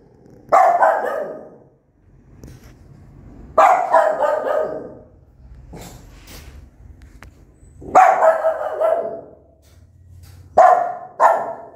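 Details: Aggressive mother dog with newborn puppies barking for a long time; loud hoarse barks come roughly every three seconds, the last two in quick succession, over a steady low hum.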